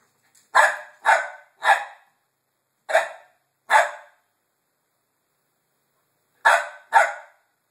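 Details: A dog barking at a gate. Sharp, harsh barks come in quick groups: three in a row, then two after a pause, then two more, with silence between.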